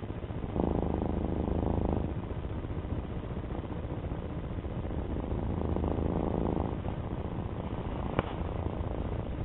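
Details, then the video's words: Pet domestic cat purring softly, a low continuous rumble with two stronger swells near the start and middle, and a faint sharp click late on. "My cat Alfie slide show with his purr"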